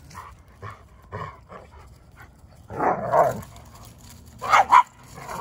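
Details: German Shepherd Odin and small dog Bella pestering Samson the Boxer in play; soft yips at first, then a louder rough bark burst and two sharp high barks near the end.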